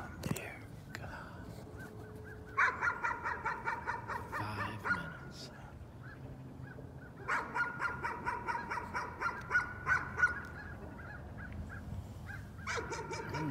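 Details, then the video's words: Persistent nuisance barking by a dog: bouts of fast, high-pitched barks lasting several seconds, separated by short lulls, with a person's voice heard nearby. "Nuisance barking again."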